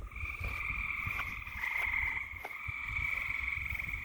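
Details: A night chorus of frogs: continuous, rapidly pulsed trilling in two bright, buzzy layers that swells slightly and never pauses. A few soft knocks sound underneath.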